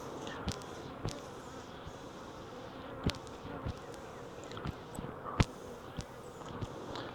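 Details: Wild honey bee swarm collected from a tree branch into a five-frame nuc box; a thick, constant hum of buzzing bees runs under repeated sharp knocks and thumps from handling the box.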